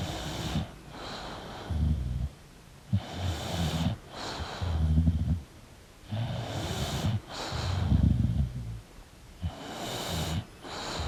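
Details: An English bulldog asleep, snoring in a steady rhythm: low, rumbling snores roughly every two seconds, each carrying a breathy, wheezing hiss, with short silences between breaths.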